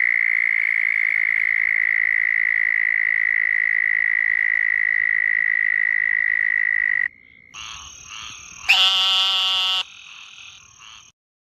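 A frog gives a long, steady, high-pitched trill, then breaks into harsher, nasal, buzzy calls.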